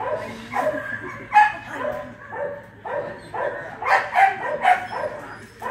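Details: Keeshond at the 2018 Keeshond Club of America National Specialty Agility Trial giving a loose series of sharp, mid-pitched barks spaced irregularly, some with a short rising yelp quality, over a background murmur of indoor crowd noise.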